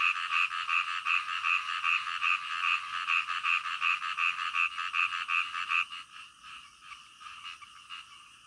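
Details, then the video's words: Night-time frog croaking in clear, regular pulses, about two per second, a dozen or so in a row before the calls stop abruptly and only a softer background chorus remains. "SUARA KODOK DITENGAH MALAM"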